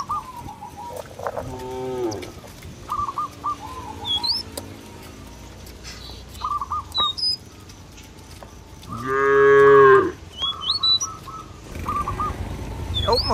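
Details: Village cow wandering a field, lowing to call its companions home to the pen: a brief moo early, then a louder drawn-out bellow near the end, while small birds chirp repeatedly in between.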